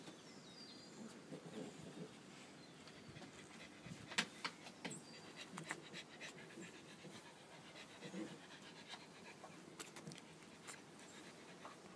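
A French bulldog pants and snuffles in quick, irregular, breathy bursts, with a few sharp clicks.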